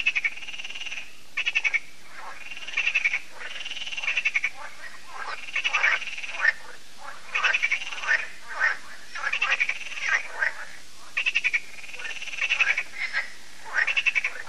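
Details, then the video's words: Evening frog chorus at Lac de Sabatte in France, held every year as solar lights switch on: steady trains of rapid, rattling croak pulses repeat roughly every second or two, overlapping callers forming a continuous rhythmic concert. "Froschkonzert an Crystals Lake"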